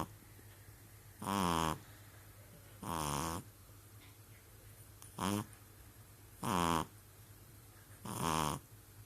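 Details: Indoors, a sleeping pug gives a good old snore: five rattling, buzzy inhalations spaced one to two seconds apart, each lasting about half a second, with near silence between them.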